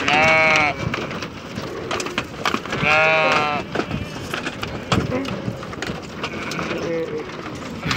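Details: Goats being unloaded from a vehicle in Saudi Arabia: two loud, wavering, richly harmonic bleats about three seconds apart, then fainter bleats later, over background human voices and busy outdoor noise.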